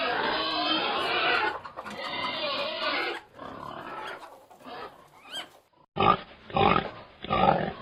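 A pig lets out long, rasping squeals full of broad noise. After a brief lull come three quick, gruff grunts in a row, each blunt and breathy.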